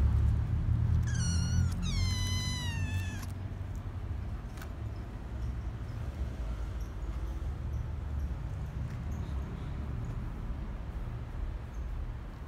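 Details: A group of kittens calling: two quick high meows close together in the first three seconds, the second bending downward, then a long stretch of steady low rumbling background noise with no further calls.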